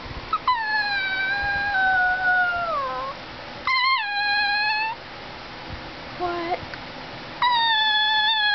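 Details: Male greyhuahua, a Greyhound–Chihuahua mix, described as a talking dog, vocalizing in long tonal howls: a drawn-out wail falling gradually in pitch, then a shorter steady moan, a brief low yelp, and another sustained howl near the end.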